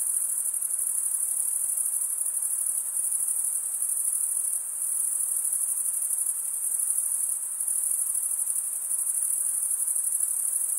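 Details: Stridulating crickets, males rubbing wing against toothed wing vein; continuous shrill high trill with faint rhythmic pulsing and a couple of brief dips in loudness, otherwise steady and alone.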